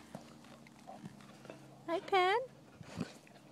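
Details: European Basset Hounds playing at Bellingham Bassets kennel, March 23, 2013; one short, tonal yelp that rises then falls, rich in harmonics, amid soft household noise and a woman greeting the dogs by name.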